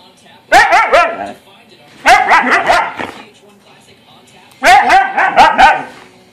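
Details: A Siberian Husky playing with its owner gives three bursts of wavering, yodel-like "woo-woo" talking calls about two seconds apart, their syllables bending up and down in pitch.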